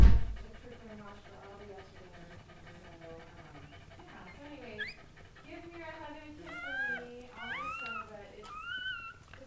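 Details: Indoor birthing of a Goldendoodle litter, mother Sandy with seven puppies: after a loud thump, thin whimpers begin, then climb into sharp upward-sweeping squeals and a drawn-out whine near the end, over quiet talk.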